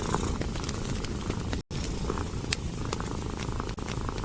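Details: Cat purring next to a warm fireplace, a low throbbing rumble interrupted once by a brief silent gap, with scattered crackles of burning logs.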